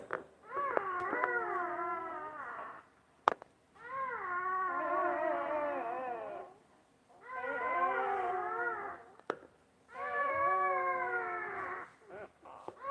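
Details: Mother Basset Hound tending newborn puppies indoors; four long, wobbling whine-moans of two to three seconds each, separated by short quiet gaps, with occasional knocks and clicks.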